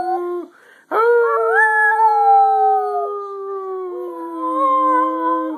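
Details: Singing dog Scruffy: after a brief pause, a single long howl starts sharply, holds a steady mid pitch, then slowly sinks lower while wavering slightly.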